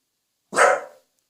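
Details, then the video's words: Welsh Corgi family dog being asked to bark softly, barking more readily with its people nearby: a single short, forceful bark in a quiet setting. "웰시코기(Welsh corgi) 코코야 조금만 작게 짖어봐.."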